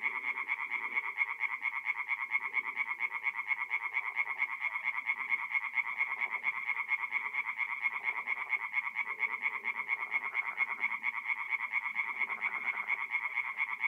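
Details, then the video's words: At a forest pond in north-east Italy on an April night, tree frogs sing together: an unbroken, rhythmic chorus of sharp croaks repeated about twice per second, with many voices layered over one another. "relaxing forest pond by night with singing tree frogs"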